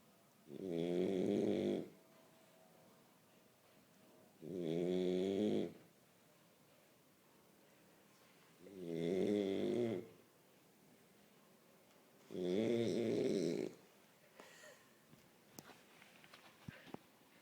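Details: French Bulldog asleep and snoring, four loud rattling snores spaced roughly four seconds apart, each about a second and a half long, followed by faint scattered taps and clicks as the snoring stops.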